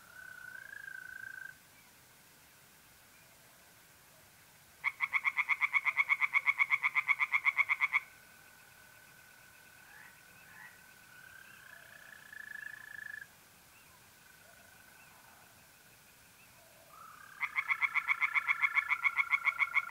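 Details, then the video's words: Pond tree frogs in North-East Italy on a mid-April night give two bursts of rapid pulsed croaking, each lasting several seconds. Between the bursts, a continuous mole cricket trill fills the gaps. "relaxing singing tree frogs in pond"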